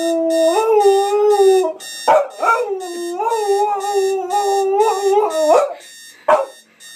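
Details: Pet dog protesting a hated alarm clock with a sustained, wavering howl that dips and climbs, broken by brief yelps, while regular electronic alarm beeps pulse throughout.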